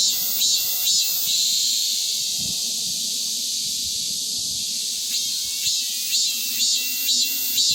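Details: A continuous high, sizzling cicada drone after the monsoon rains, with rhythmic pulsed 'mem-mem' bursts at the start and again near the end, roughly two per second.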